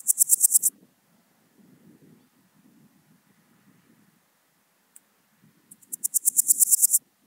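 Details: Swiss gold grasshopper singing in Wildhaus, Switzerland, on 7 October 2022, two loud bursts of rapid, high scratchy pulses, each lasting under a second, separated by several seconds of soft low rustling and a single tick.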